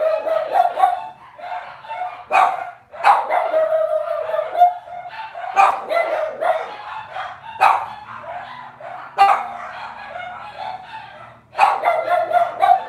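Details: Several Cavalier King Charles Spaniel puppies in a home kitchen litter keep up near-constant yipping and squealing, sharp high cries coming in bursts with a faint low hum beneath.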